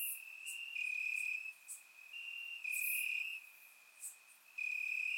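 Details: Summer-night crickets chirping in Bulgarian grass, surround recording: loud sustained high trills broken by short lulls, one singer overlapping another, thin high clicks sprinkled throughout.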